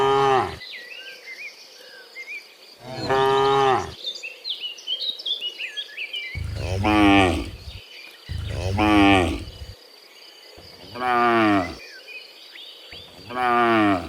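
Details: Dozens of cows walking home from the fields to the pen in the afternoon, giving six loud, rich moos spaced a few seconds apart, some wavering, over a constant insect hum and scattered bird chirps.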